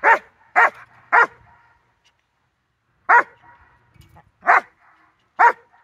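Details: Dog in a training session with collar line and harness, September 4, 2022, giving six loud, clipped barks: three in quick succession, then a gap of nearly two seconds before three more spaced about a second apart.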